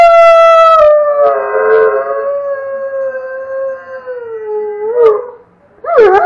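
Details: Red, a Doberman, howls with a child howling in the background; one long sustained howl slowly drops in pitch over five seconds before a short wavering yelp at the end.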